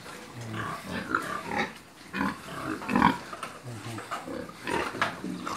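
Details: Pigs and piglets kept on a farm, giving a steady run of low, rough grunts and short nasal snorts, with louder bursts around every second or so and a harsher squeal-like grunt near the middle.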